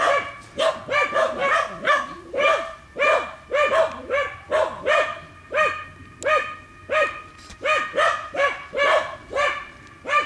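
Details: Dogs working wild boar inside a training pen bark steadily and insistently, with sharp, evenly spaced barks about twice a second that continue without let-up.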